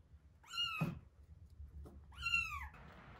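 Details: Two arched mews from one-week-old kittens Terra and Towa during a feeding, indoors, spaced about one and a half seconds apart, with a soft thump and low hum in between.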